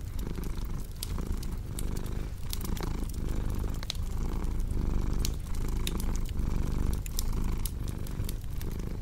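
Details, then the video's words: Domestic cat purring steadily, a low rumbling pulse that swells and eases roughly once per second with each breath, over sharp pops and crackles of a cozy fireplace. "Purring Cat with Cozy Crackling Fireplace Sound"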